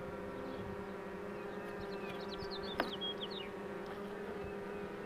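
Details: Honey bees humming steadily while a queen box is pulled, a low droning tone with layered harmonics throughout; short chirping bird notes cross the middle, with one sharp click near three seconds.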